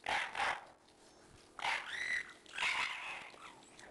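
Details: Male white Shiba Inu puppy, 55 days old, giving three short bursts of high, strained whining yelps with rough overtones. The first two come close together, then a pause, then two longer squealing calls follow in quick succession.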